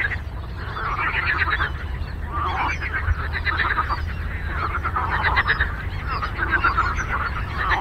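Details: A frog symphony on a lake: dense, overlapping rattling croaks from many frogs in rolling bursts, some honk-like, over a constant low background hum.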